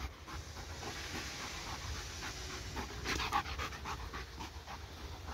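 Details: Pet dog panting rapidly after chasing a laser pointer, tired yet still playing; quick breathy puffs repeat about four times per second over a low indoor hum.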